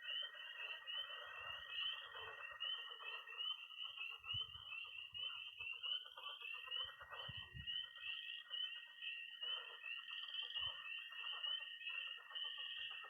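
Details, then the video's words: Night chorus of tree frogs, toads and pond frogs in early spring in Missouri: dense high peeping from tree frogs over a steady trill, with a broad lower murmur of calls and scattered low thumps. "20 minutes of toads and frogs, sound only!"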